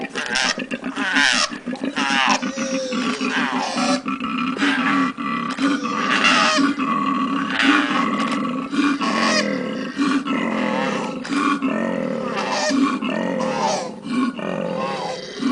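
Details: Continuous koala bellowing: a low, rasping, pulsed snore-like drone that rises and falls through long grunting phrases with barely any gaps, loud and steady from start to finish.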